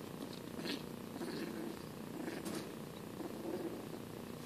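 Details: Two 8-week-old foster kittens, Sanibel and Sunny, play-wrestling indoors; a soft, steady low purring rumble runs throughout, with faint brief rustling and bumping noises above it.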